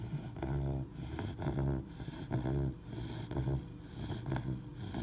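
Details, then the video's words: Three-month-old Labrador Retriever puppy asleep, snoring in rough, low rumbling breaths about once a second, each inhale a buzzy vibrating snore with short pauses between. "лабрадор храпит"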